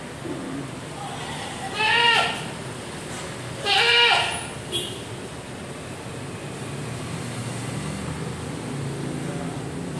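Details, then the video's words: Mountain goat kept as livestock at SDC Gading Serpong park bleats twice, about two seconds apart. Each bleat is a short, wavering, nasal cry. Steady background hiss and low rumble fill the gaps. "Kambing gunung ditaman SDC gading serpong"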